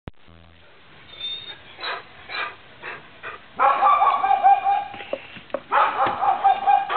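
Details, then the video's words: Neighbour's dog barking in the morning: soft, muffled barks at first, then louder, harsher barks from the middle onward, repeated roughly twice a second. "Annoying (neighbor's) dog barks"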